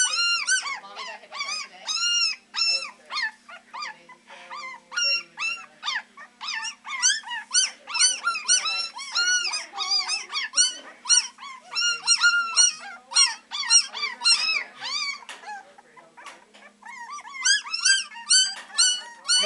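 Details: A litter of Beagle puppies only three weeks old, practising their howling at the Maryland SPCA: a dense chorus of shrill, wavering yelps stacked over one another, about two per second, barely pausing for breath.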